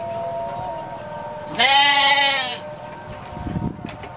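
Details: Domestic goat letting out one loud, quavering bleat of about a second, preceded by a steady faint tone and followed by soft rustling.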